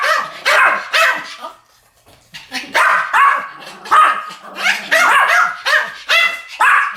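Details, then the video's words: A pair of Pomeranian dogs barking in duet, shrill repeated yaps grouped in runs, one short silence near the middle before the barking resumes. "ポメラニアン Pomeranian デュエット吠え 1000回 犬の鳴き声"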